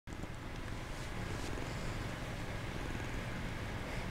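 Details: Kitten feigning sleep, purring: a low, evenly pulsing rumble that begins abruptly and holds steady to the end, with faint hiss above.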